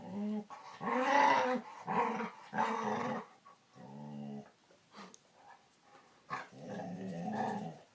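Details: Pet dog giving strange, talkative vocalizations: rough, growly moans in quick succession, then a softer, steady tone, a short pause, and a final wavering grumble.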